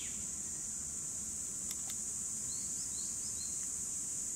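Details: Cicadas in 2017 keep up a flat, high-pitched electric buzz, while a bird repeats short rising chirps about every half second in the second half.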